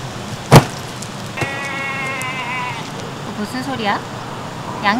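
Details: A sheep heard by day at a farm campsite in Chupungnyeong, South Korea. A single wavering, harmonic bleat lasting about a second and a half follows a sharp knock, amid a person's speech and background noise.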